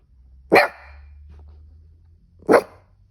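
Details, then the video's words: Cavoodle barking while he has the hiccups: two sharp, bright barks about two seconds apart, with a faint low hum between them. "This cavoodle was barking when he got the hiccups"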